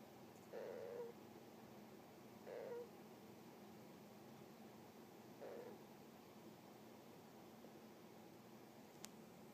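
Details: Pet hamster asleep at home, snoring now and then with a soft "puhyururu": three short, quiet, breathy purring bursts about two to three seconds apart in an otherwise still indoor room.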